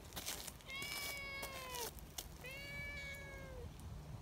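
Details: Community cats gathering in the mountains in Japan: two long, clear, harmonic-rich meows, the first gently falling, the second arched and steady, over low outdoor rumble with a few clicks.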